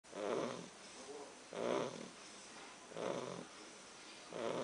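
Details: English Bulldog snoring in steady rhythm, four rasping, rumbling snores roughly every one and a half seconds, each followed by a quieter breathy exhale, in a small quiet room.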